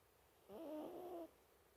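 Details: Snore from an asleep mini toy poodle, a single drawn-out nasal breath of under a second, humming and slightly warbling in pitch, then silence in a quiet indoor setting.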